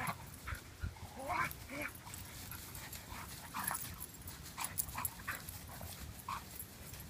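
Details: Two Standard Poodles, Gaby at six months and Count around six years old, battle in a woodland clearing in Louisville, Kentucky, captured on a pocketed iPhone; short whiny growls and yelps rise and fall amid rustling and a steady low rumble.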